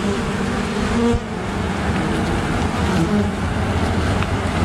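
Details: Western honey bee (Apis mellifera), buzzing: defending against an attacking great black wasp.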